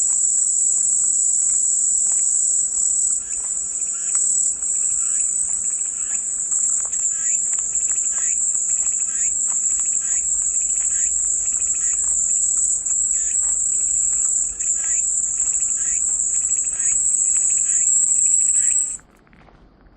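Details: Cicada chorus: a steady, shrill, high buzz that runs almost unbroken for about nineteen seconds, then cuts off abruptly. Faint, short chirping notes sound underneath throughout.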